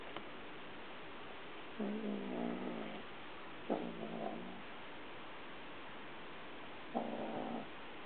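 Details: House cat carrying a toy in its mouth and walking about, growling softly the whole time though nobody tries to take it; three low, rough, rumbling growls, each under a second, separated by pauses.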